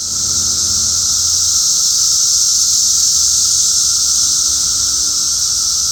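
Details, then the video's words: A loud, even wall of cicada buzzing outdoors, a constant high sizzling tone with no breaks or changes in pitch across the whole stretch. "cicada sounds"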